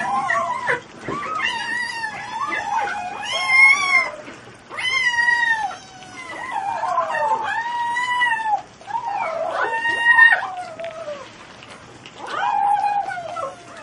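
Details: Kittens giving a rapid run of loud, high, wavering meows, some rising then falling, several overlapping in quick succession with brief pauses between bursts.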